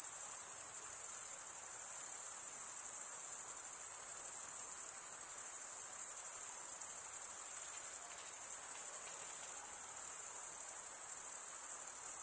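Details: Many crickets stridulate together, males drawing one wing across the comb-like teeth of the other, producing a sharp, sustained high trill with fine rapid pulsing and constant loudness.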